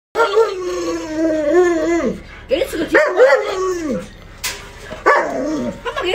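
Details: Alaskan Malamute at home, vocalising while being given chicken: drawn-out, wavering howl-like tones sliding up and down in several bursts, with a person talking over and between them.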